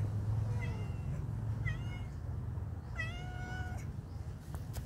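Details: Friendly cats in a pagoda give three clear, bright meows, short ones near the start and a longer falling one later, against a low background hum and a few knocks.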